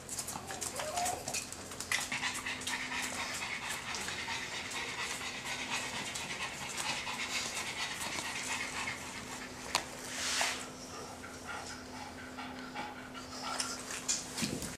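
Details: Pug breathing hard in rapid, hissing pants, airy bursts running continuously with brief pauses, over a constant low droning hum.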